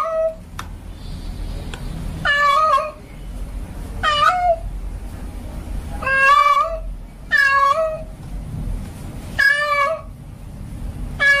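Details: Male cat in heat calling for a female cat, giving a string of long, wavering, rising-then-falling yowls about every one to two seconds against a soft, murmuring indoor background.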